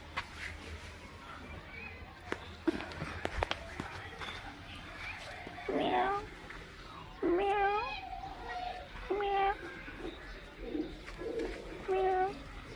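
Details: Cats and kittens meowing: after a quieter stretch with soft clicks and rustling, several clear wavering meows sound in the second half, spaced a second or two apart, over a steady low hum.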